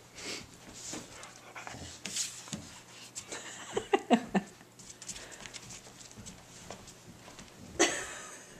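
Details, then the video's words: Tibetan Mastiffs playing tug of war indoors: steady panting and scuffling with a burst of short, rough growling grunts near the middle, then a sharp, noisy snap toward the end. "Tibetan Mastiffs playing Tug O War"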